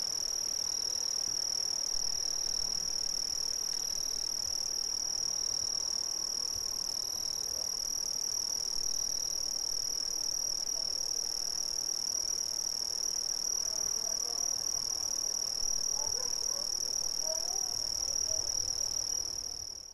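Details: Dense chorus of Brazilian crickets: an unbroken high-pitched trill held at constant loudness, with a faint upper band and a few soft short notes, fading at the very end.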